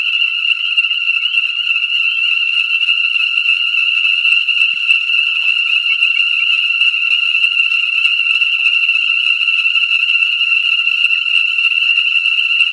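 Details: Dense chorus of ornate chorus frogs at a rain-filled breeding pool in Conecuh National Forest, southern Alabama, New Year's Day 2017, warm with light rain; countless high, shrill peeps overlap into an unbroken ringing wall of sound.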